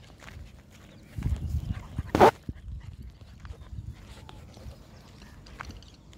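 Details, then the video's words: Cute Labrador puppy at play time, play fighting with Maara; one sharp, loud bark bursts out near the middle, set among soft rustling, scuffling and low thumps of the tussle. "Maara Fight With Cute Puppy / Cute Labrador's Play Time"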